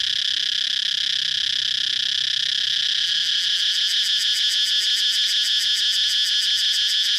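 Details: Outdoors, a cicada keeps up a high, piercing buzz; it begins as a smooth hiss, then breaks into rapid, evenly spaced pulses for the second half.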